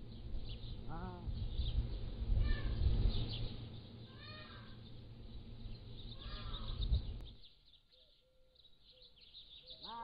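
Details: Young Pallas's cat kittens aged 3 to 7 weeks, filmed in captivity with a trail camera, give four arched, harmonic mews spaced about two seconds apart amid loud low rumbling and busy bird chatter, then a quieter stretch with a thin tonal bird note.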